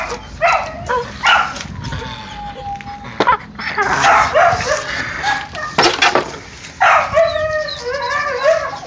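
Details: Donovan Pinscher pups being tested give scattered short yips, one long thin level whine, and a final series of wavering whimpers, with thumps and rustling between the calls.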